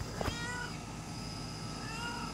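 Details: A domestic cat meows non-stop on a rainy morning, giving soft, drawn-out meows over a low background hum.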